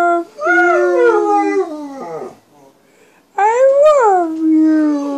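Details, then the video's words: Hound dog howling along with a harmonica indoors: long drawn-out wavering howls sliding downward, a two-second pause, then a rising-and-falling howl that trails off into a steady low tone. "Bender the Hillbilly Hounds howling harmony"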